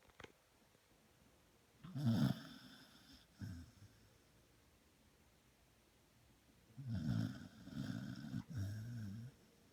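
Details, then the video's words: A female dog snoring while asleep indoors, with low rumbling snores in two bouts, one around two seconds in and a longer one around seven seconds in, separated by quiet breathing. "Rasta dog snoring."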